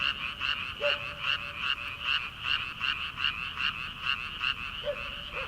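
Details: Rice-paddy frogs calling at the beginning of summer, prior to transplanting. Fast, regular rasping pulses form an unbroken chorus, with a couple of short lower calls standing out.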